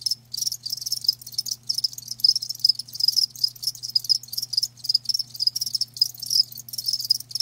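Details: Several live crickets produce a shrill, rapidly pulsing chirp in uneven bursts, nearly continuous, with a low electrical-sounding hum beneath.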